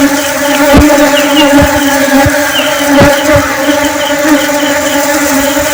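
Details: Honeybee in flight: continuous buzzing drone with strong steady tones, interrupted by several dull knocks or thumps and faint fluttering clicks.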